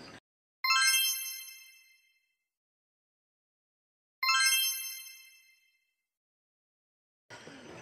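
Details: Two bright ringing dings about three and a half seconds apart, each fading over a second and a half amid silence, with no animal voice.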